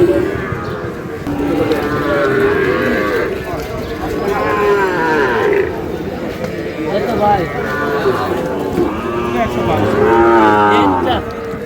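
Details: Sahiwal bull calf at a farm in Dhaka, Bangladesh, on 27 April: several drawn-out, harmonic moos around two, five and ten seconds, some wavering and bending in pitch, with people talking in the background.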